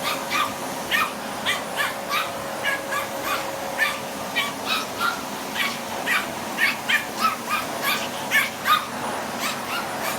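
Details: A Spitz dog attacking a vacuum cleaner indoors barks in rapid, sharp, high yaps, about two or three a second, steady throughout, over the constant hum and whine of the vacuum cleaner.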